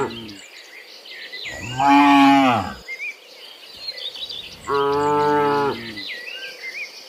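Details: Two full-throated, harmonic cattle moos, each about a second long and a few seconds apart, from tame animals running in woodland, with birds twittering softly in between.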